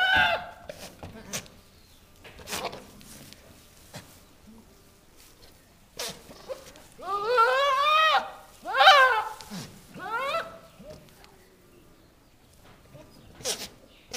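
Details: Two newly arrived registered Nigerian Dwarf goat bucks give harsh, wavering, scream-like, almost monkey-like bleats, calling toward females in heat in the barn.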